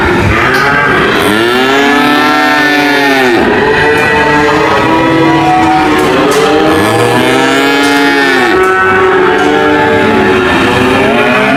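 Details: Repeated loud moos from cattle, each a long, bending bellow that rises and falls, following one another every few seconds and sometimes overlapping, against a low steady background rumble.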